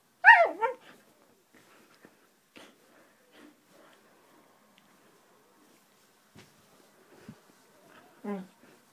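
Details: Roxy, a Siberian husky, playing: an opening pair of loud yappy barks, then scattered soft clicks and rustles, a low grunt, and a final whimpering bark near the end.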